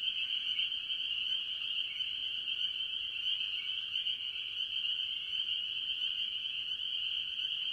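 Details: Farm pond early in the year, where tree frogs, mostly spring peepers, call together: many high-pitched peeps blend into a ceaseless ringing chorus, with slight rising notes from individual callers.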